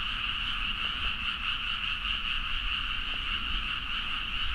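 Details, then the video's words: Frog chorus at midnight in rice paddies near Nagaoka, Niigata, Japan, captured on a Zoom H4n: a dense, unbroken wall of overlapping croaks with two steady bright bands, mid and high, pulsing rapidly throughout, faint low rumble beneath. "The frog sound at mid night (環境,自然音 -深夜のカエル大合唱-)"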